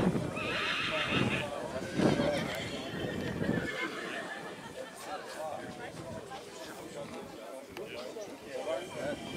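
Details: Black Forest draught mare Nessaja, three years old, shown in the group of three-year-old mares at Rossfest 2022 in St. Märgen on 11 September 2022. A shrill, quavering whinny fills the first second and a half, then crowd voices carry on.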